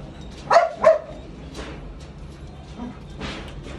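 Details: Lukas, a Belgian Malinois at raw feeding time, gives two loud, quick barks in succession. Faint, softer sounds follow in a quiet room.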